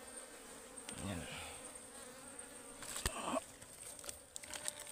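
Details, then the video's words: Ligwan honeybees swarming around a wild forest beehive as it is harvested for honey; a continuous low buzz drones throughout, with sharp clicks, scraping and rustle from the harvest work. "Ligwan Beehive Harvesting in the Forest"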